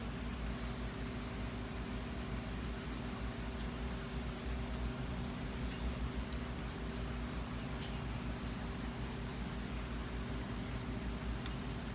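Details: Only a steady low mechanical hum and faint broadband hiss are heard, with no animal sounds.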